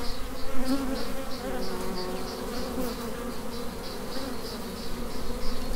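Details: Swarming honey bees, a colony in flight after departing the hive, producing a thick continuous low drone with a soft rhythmic higher buzz layered above.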